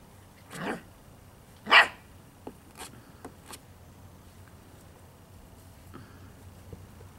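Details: Five-week-old Poodle puppies playing outside, learning about new sounds: a couple of short, sharp yips about a second apart, then a few faint clicks and small squeaks over a low background hum.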